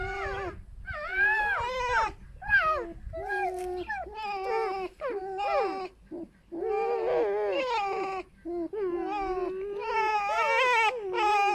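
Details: Pet foxes rescued from a fur farm and sharing a den indoors keep up a harmless chattering song, a long run of wavering, yelping squeals rising and falling in pitch, broken by brief gaps, with faint low rumbling early on.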